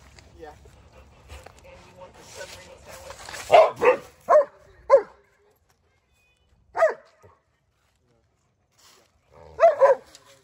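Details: Odin the German Shepherd and Samson the Boxer in a domestic face-off: after a low murmur, sharp single barks come in clusters, two quick ones, then two more, a lone bark, and a final double bark, with silent gaps between.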